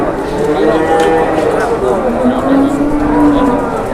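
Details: Market cattle amid tough price negotiation: a long, steady moo slides gently downward in pitch during the second half, with a fainter higher call earlier and a background of talking people.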